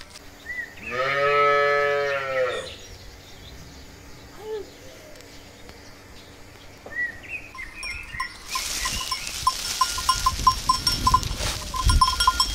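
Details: Cow mooing once, a long harmonic low moo in the first three seconds, followed by quieter farm noises, a short higher call and a bright clattering metallic sound in the second half.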